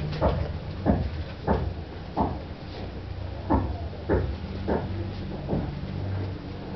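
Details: Scottish Terriers Luna and Nala in Peru: a string of short, sharp barks, roughly one every half second to second, over a steady low hum indoors.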